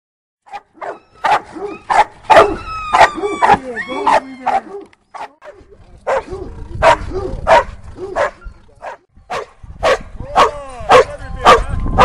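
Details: Doberman Pinscher in Schutzhund training exercises, barking loudly in sharp, repeated bursts of about two per second, with short pauses between runs; a handler's voice is heard faintly among the barks.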